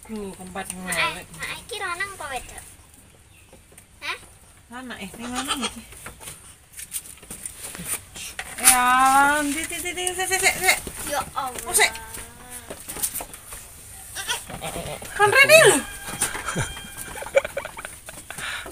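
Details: Etawah goat mother with three newborn kids; wavering, quavering bleats in short bursts near the start and middle, with overlapping human voices and some clucking in the background.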